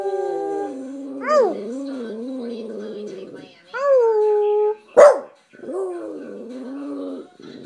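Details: A Boston Terrier sings on cue after being taught by its owners: drawn-out, wavering howls that rise sharply and then slide down, repeated in three bursts with a brief sharp bark between them and a human voice nearby.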